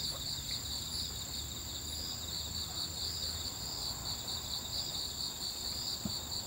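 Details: Night crickets at a campsite on Ganghwa Island, South Korea, heard while a solo camper eats dinner; continuous shrill pulsing chirps in rapid rhythm over a steady high drone, with low background rumble and one small click.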